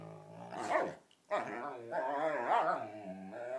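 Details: Dog's ridiculous whale-song serenade during bitey-face play with another dog; rising and falling harmonic growl-moans broken by a short pause, then a sustained warbling vocal stretch.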